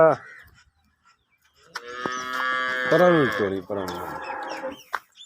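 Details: Nili-Ravi buffalo in Pakistan, a long drawn-out bellowing moo lasting about three seconds, rich and harmonic, dipping in pitch and breaking into a rougher second part, after a short sound at the start and a pause.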